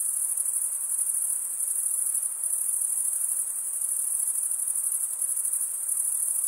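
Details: A nighttime summer forest chorus of crickets: a thin, high-pitched continuous trill with a slight throbbing texture, constant and uninterrupted, with no birds or people.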